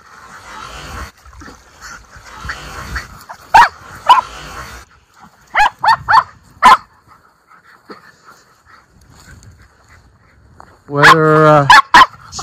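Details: Miniature Schnauzer brothers let off leash outdoors in Aroostook County, Maine, in spring on April 18, 2024, first time out since the snow melted; scattered sharp barks, then a loud drawn-out whining bark near the end, with rustling between.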